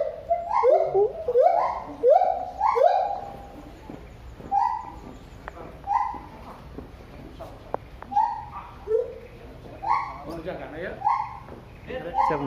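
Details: A siamang at Cilodong, Depok, gives loud whooping calls that rise and fall, quick at first and then spaced out.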